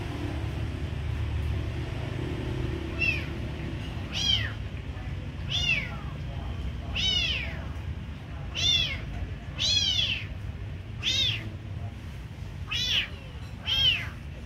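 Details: Kitten meowing while being given food; high, arching mewing cries repeated roughly every second, nine or so calls after a quieter opening, over low steady background rumble.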